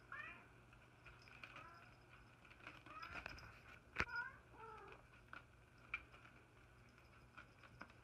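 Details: Soft, faint meows from a house cat or kitten, several brief mewing calls scattered through the stretch, with one sharp click near the middle and a low background hum indoors.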